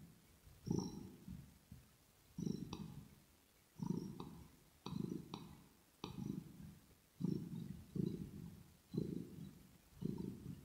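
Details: Kitten purring close to the microphone in an ear-to-ear ASMR recording: low rumbling pulsed bursts, about eight in eleven seconds, each with a faint higher click or smack at its start.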